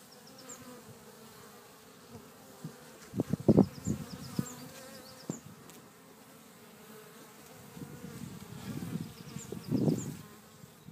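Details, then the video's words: Bees in a back garden at Cretingham, Suffolk, humming with a low steady drone that swells and fades as they pass close, with several soft bumps and faint high chirps in the background. "Cretingham Bees"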